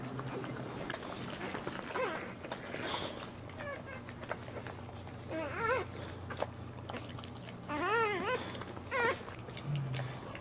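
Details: Indoors during the whelping of Boxer JuneBug's second of four puppies, born standing on green cushions in a shallow box. Short, thin, wavering squeaks come in scattered bursts among rustling and faint voices, with a low electrical hum.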